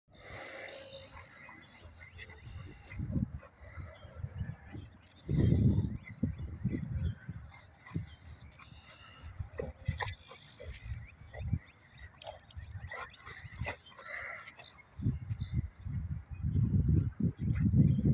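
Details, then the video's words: Twin Boxer dogs, Sidney and Shelby, at play: low, rumbling growl-like grunts and snorts in irregular bursts, loudest around the middle and again near the end, with scuffling and faint background noise between them. "The Famous Boxer Dog Twins Just Wanna Play"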